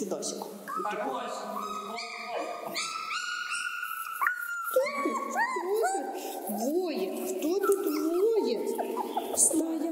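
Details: A pack of gray wolves (four females and a male) at feeding time in Taigan park whines, yelps and howls over one another in a hectic, noisy chorus while sorting out relations among themselves.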